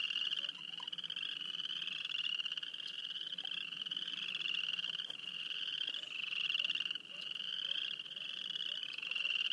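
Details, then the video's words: Near Wayne, Alberta, many frogs trill together in a constant high pulsed drone, individual calls sweeping slightly upward in overlapping runs, a few soft lower clicks scattered through. "Field recording of frogs near Wayne, Alberta."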